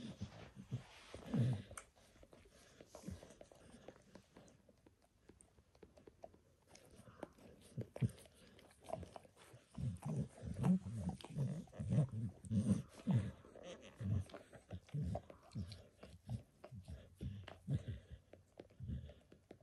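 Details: Max, a pet dog, grooming himself indoors by licking his paws and then a person's foot, shin and knee; soft wet smacking licks come in irregular bursts about a hundred per minute, with a quiet pause midway.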